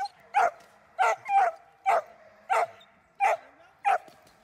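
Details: Protection training session with Dornan, a German Shepherd, giving sharp, forceful barks about every half second to second, some doubled, over a quiet background.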